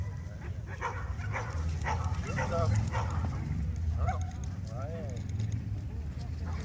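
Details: Beauceron Urkhom du Fond des Camps, fourteen and a half months old, during a natural herding aptitude test on a flock; sharp barks repeat about twice a second over human voices and steady low wind rumble.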